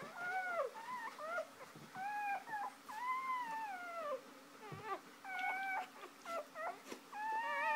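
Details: Shoobie, a mother dog, lies with her first three newborn puppies just after giving birth. High, thin whimpers and squeals rise and fall in quick succession, with short pauses, through the whole stretch.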